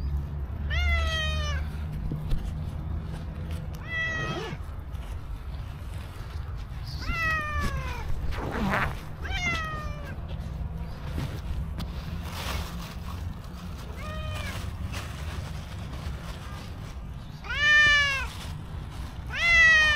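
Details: Black-and-white stray cow cat coming to a person with sweet meows, about seven short falling meows spread irregularly over twenty seconds, some brief and clipped, against a steady low urban hum.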